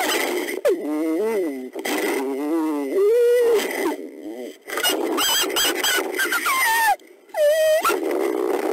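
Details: Inside a den at night, critically endangered Mexican gray wolf mother Belle (F1226) grows testy with her needy daughters born May 2017; rising and falling harmonic whines and drawn-out wails overlap, with a sharper squeal near the end.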